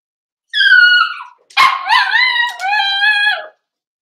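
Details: Indoor pen with four-week-old Cavalier King Charles Spaniel puppies. A clear, steady, high whine, followed by a sharp yelp that runs into a wavering, slightly rising whimper lasting over a second.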